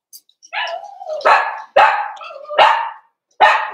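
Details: Cavalier King Charles Spaniel barking as big dogs visit the puppy pen for socialization: four or five forceful barks in under four seconds, some linked by a drawn-out whining tone, fairly irregular spacing.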